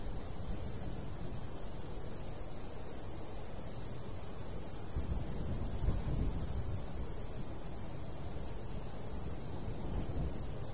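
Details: Crickets calling through a summer afternoon over golden wheat in the countryside; sharp high chirps repeat steadily for ten seconds, sometimes doubled, while a light breeze rumbles low and gusts briefly.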